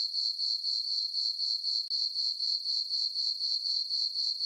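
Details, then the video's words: Crickets chirping on a peaceful summer night in a farm meadow under a full moon: a steady high, ringing trill pulsing about four times per second, with one brief dropout near the middle and no other sounds. "Cricket chirping sounds for sleeping"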